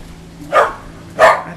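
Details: Two sharp barks roughly 0.7 seconds apart from a whippet reacting to the Goodyear blimp passing close by, a dog that barks at nothing else; steady low hum beneath.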